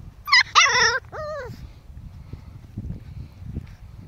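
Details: Five-week-old Pomskies at play with a five-week-old Husky puppy: a burst of loud, high yelps followed by a falling, arched whine, then soft scuffling and faint low thumps.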